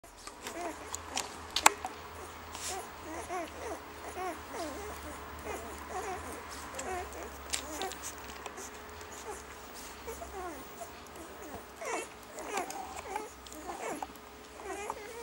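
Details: Five-day-old German Shorthaired Pointer puppies from Grettel's litter, nursing: soft, high, overlapping squeaks and small whimpers rise and fall throughout, with faint snuffling, occasional sharp clicks and a steady low hum beneath.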